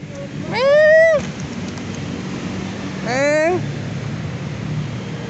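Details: Injured cat found helpless beside a main road, apparently struck by a vehicle, its body coated in black mud; two loud meows that rise then fall, about two seconds apart, over low traffic rumble.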